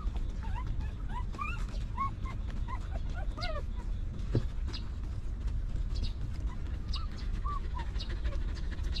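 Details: Whining from a stray mother dog's family of puppies in a rough place: clustered thin, wavering whimpers in the first half, a single low thump, then a few scattered soft whines over a continuous low hum.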